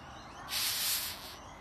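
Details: A rhinoceros beetle in Queensland, being handled by a woman, gives a single breathy hiss lasting under a second, rough and airy like escaping steam.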